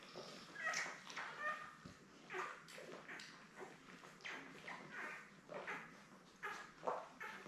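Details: Labrador Retriever pups, seven newborns born May 24, 2021, with their mother Belle, squeal and whimper in quick repeated bursts, several with a clear whistled tone. A faint murmur sits under the chorus.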